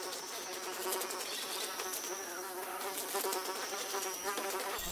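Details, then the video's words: Flies buzzing steadily throughout, a dense, quivering drone with layered overtones that wobble in pitch, suggesting several overlapping passes, set against constant bright hiss. "Fly Sound, Fly Buzz Video"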